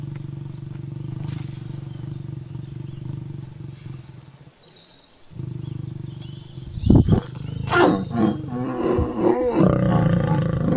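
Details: Mating lion with a lioness: a deep, throbbing growl runs steadily, breaks off briefly, then resumes and erupts into harsh, rasping snarls and sharp yowling bursts over the final seconds.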